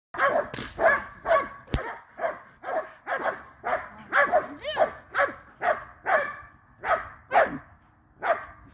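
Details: Cane Corso barking steadily, with loud deep barks repeated about twice per second in a long unbroken series and one sharp click early on.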